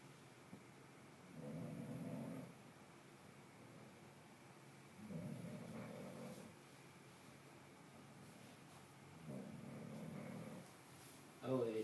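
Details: An 8-month-old male English Bulldog puppy resting and sleeping on his bed snores in slow, rumbling breaths, each about a second long and repeating every few seconds.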